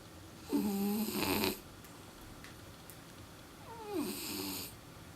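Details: Sleeping French Bulldog snoring heavily: two raspy snoring breaths about three seconds apart, each with a nasal, whistling tone that slides in pitch, in a quiet room.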